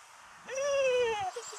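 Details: A Barbet gives one drawn-out, tonal howl that rises, holds and slides downward, followed by a soft thump; a 10.5-year-old female and her 6.5-year-old son sing together while waiting for a water retrieve.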